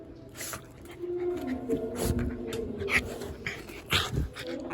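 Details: Frightened Shiba Inu Yuzu whimpers indoors during a typhoon emergency warning in Japan, giving short, strained nasal whines with soft rustling and noisy bursts around them.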